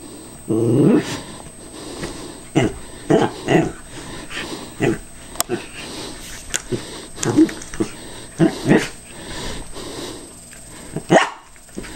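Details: Cairn Terrier cautiously attacking a callous remover that is not running; a harmonic growling burst near the start, then scattered short barks and huffs, with sniffing and handling noises between them.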